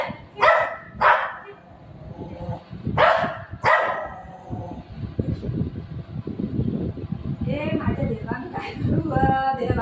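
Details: Golden retriever Buzo and shih tzu puppy Milo, pet dogs fighting indoors: four sharp, loud barks in two pairs near the start, then a quieter stretch of low rumbling noise and faint voices.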